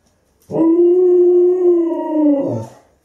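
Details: Alaskan Malamute at a kennel, a sustained tonal howl lasting about two seconds, steady and slightly wavering, with rich harmonics, ending in a short lower drop.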